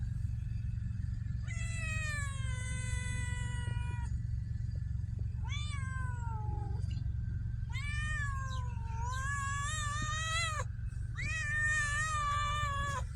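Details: Homeless stray cats in Ras Al Khaimah, United Arab Emirates: four long, drawn-out meows, each one to three seconds, some wavering and falling in pitch, over a steady low mechanical hum.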